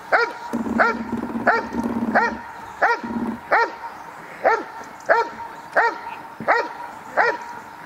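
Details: Dog barking in the protection phase of a 2016 dog sport trial: rhythmic loud barks, about one every 0.7 seconds, briefly overlapped early on by a low droning noise.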